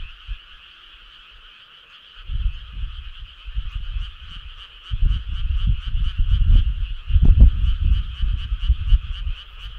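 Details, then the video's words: Frog chorus on a midsummer night along a country road: dense, steady pulsing trill of many frogs calling together, with heavy low rumbling bursts growing louder after the first two seconds. "Cool frog sound"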